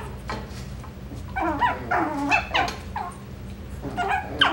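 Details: Coton de Tulear puppies from the Moxy litter, filmed indoors at a breeder's home on 9/21/23, giving a rapid run of high, squeaky yips and whimpers, several overlapping, rising and falling in bursts over a low room hum.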